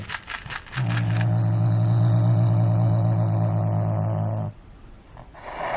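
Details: A cat making a strange noise: a deep, steady, droning moan held for about three and a half seconds without much change in pitch, preceded by short scraping and rustling sounds and followed by quieter noise.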